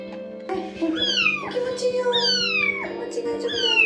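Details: A one-month-old rescued kitten gives three high, drawn-out meows, each rising then falling, during her first bath over a steady low hum and soft background music.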